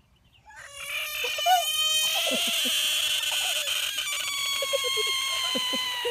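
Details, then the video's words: Big American bullfrog screaming: one loud, sustained, strongly harmonic wail begins after half a second and holds for over five seconds. Soft clicks and handling noises sit underneath, and a person speaks just before. "Screaming bullfrog"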